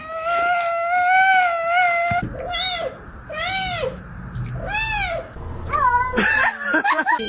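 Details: Domestic cat giving a long steady meow lasting two seconds, then three short arched meows spaced about a second apart, followed by a cluster of quick wavering cries.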